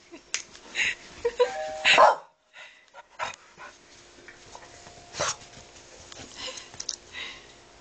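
A Boston Terrier lets out sharp, scattered barks in reaction to the doorbell.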